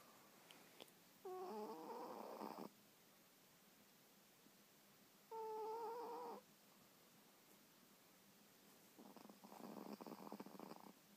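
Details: Three-year-old pet Pomeranian asleep and snoring indoors: breathy rasping snores about every four seconds, each lasting over a second. The first two carry a wavering whistled tone, and the third is rougher and buzzier, over a quiet background.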